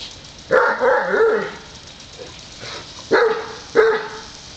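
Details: Two dogs, a Great Dane and a Wheaten Terrier, take turns at a water sprinkler on a hot day; a long wavering bark, then two short sharp barks about half a second apart near the end, over faint background hiss.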